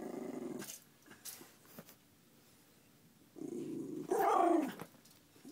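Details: A silver miniature schnauzer gives low rumbling growls that rise into a brief whiny, strained vocalization as he is poked, a moment when he likes to hit his owner with his paw.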